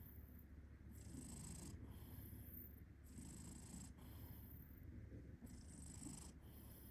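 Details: Snoring cat with a steady, deep purr running underneath, rising and falling gently in time with its breathing, with faint airy hisses coming at regular intervals.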